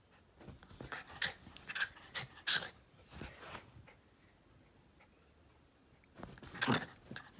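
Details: Playful Jack Russell x Fox Terrier crossbreed mock-attacking a person's hand in a dim room, recorded with an iPhone 8 Plus; breathy huffs and brief rough growl-like bursts come in clusters, then a quiet gap and a final burst.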